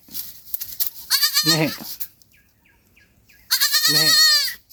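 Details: Kid goat separated from its mother in a forest at night gives two long, quavering, nasal bleats a couple of seconds apart, with faint rustling between them.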